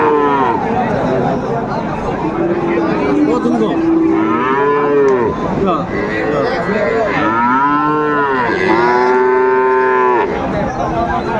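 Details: Cattle at Raniganj market, Dinajpur, Bangladesh, where Friesian and crossbred bull calves about three to four months old are traded, Thursday 2 May 2024; several loud, bending moos, often overlapping, with steady crowd noise behind.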